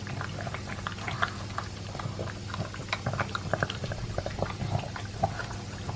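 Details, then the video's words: Dense, rapid crunching and lip-smacking from Elvis, a two-year-old Pug eating dry kibble with a chunk of beef. A constant low hum runs underneath the busy, clicky chewing. "Pug Eating Sound"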